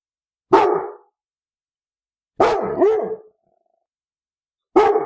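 A Labrador Retriever gives deep, harsh barks, spaced irregularly a couple of seconds apart.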